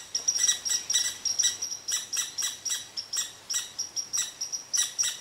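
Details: Red squirrel in one of its classic rants at a resting Eastern Cottontail: quick bursts of high, rasping chips, about three each second, loud and insistent without letup.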